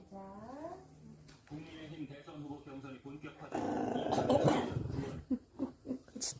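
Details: Eleven-year-old pet Maltese Chorong, 7.8 kg, indoors in a small room: a rising nasal whine opens, then a harsh throaty growl swells midway before fading into short grumbles, with human speech around.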